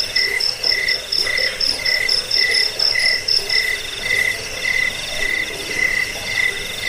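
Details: Cricket chirps for scaring rats, bedtime listening and bird song tutoring: a high chirp repeats about twice a second, while a sharper rapid-pulsed trill sounds above it for the first half before fading.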